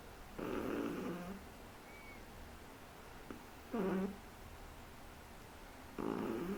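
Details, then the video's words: A three-month-old Shih Tzu snores indoors, giving three raspy, nasal breaths spaced about two and a half seconds apart, each ending in a lower rattling tone, with faint room hiss. "SHIH TZU roncando"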